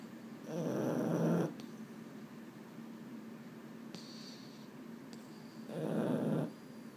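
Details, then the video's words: Male Boston Terrier, Mambo or Cub, awake at bedtime and unable to settle. Two long, rough, snore-like groaning exhalations come about five seconds apart, with faint rustling between them indoors. "【Boston Terrier】 I can't sleep…"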